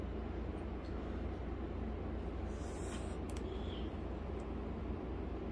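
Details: A steady low rumble like a passing train or traffic outdoors, with a few faint high clicks, and no animal voice.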